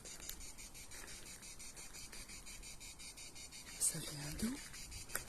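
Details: A cicada in Pas-de-Calais, France, sings a steady, high, rapidly pulsing buzz, with a woman's voice briefly near the end.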